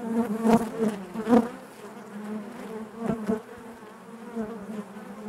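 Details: Dense hum of many honey bees within a hive, a continuous low buzz layered with stacked overtones, rising in brief loud surges around half a second, 1.3 seconds and 3 seconds.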